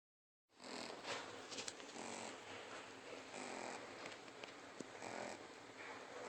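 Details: Three-month-old Shih Tzu puppy named King Trask asleep indoors, snoring in a soft, hissy, breathy rasp that swells and fades with each breath over a steady low background.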